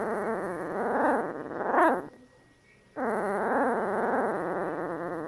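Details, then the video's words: One-week-old female Bernese Mountain Dog puppy growling in her sleep: a sustained, wavering, buzzy growl that rises and falls in pitch, breaking off with a short squeak near two seconds, a one-second pause, then resuming. "1 week old Bernese Mt. Dog Puppy growling in her sleep"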